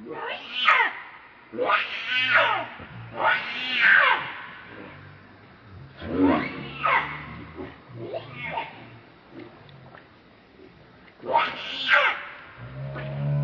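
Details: Very angry monkey protecting a companion from another monkey; harsh harmonic screams in short rising-falling bursts, about eight outbursts with quieter pauses, low rumbling underneath.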